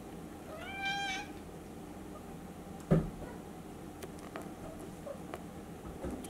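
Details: Silver Maine Coon cat at a breeding cattery in Tokyo, Japan, giving one clear meow about a second long that rises then falls, followed by a sharp knock and faint tapping in a quiet room.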